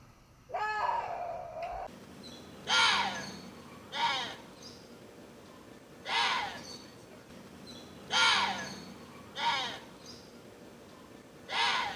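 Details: Water deer calling: a smooth, wavering tonal cry opens, then a string of short, harsh, rasping screams follows at uneven intervals of one to two seconds, about seven bursts in all, over a low, steady background hum.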